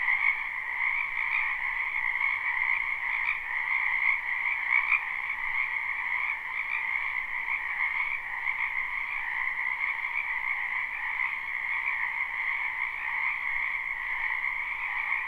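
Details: Frogs calling in a spring wetland behind a home, live recording with no loops; a massed chorus of rapid trills holds steady throughout, with faint brief clicks standing out now and then.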